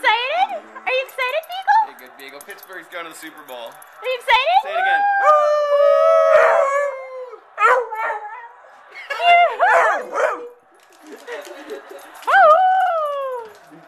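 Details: Excited Beagle howling in celebration as Pittsburgh heads to the Super Bowl: bursts of rising and falling bays and yodelling howls, some drawn out, broken by short pauses, with people talking and cheering alongside.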